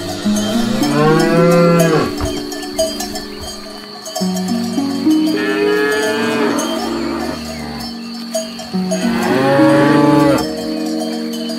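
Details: Cows grazing on grass, lowing in three long, harmonic-rich moos that rise and fall, each about two seconds long, over steady ringing cowbell-like tones and stepped tonal notes.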